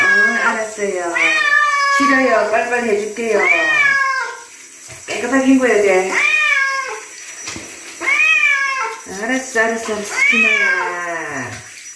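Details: Bobtail cat meowing while being bathed indoors: loud, drawn-out harmonic meows rising then falling, several in close series with short pauses, over running tap water and a person's soft speech.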